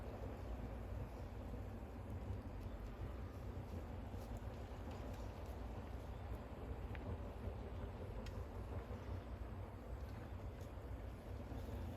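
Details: Steady low rumbling noise with scattered faint clicks, like a vehicle or machinery running; no animal calls are heard.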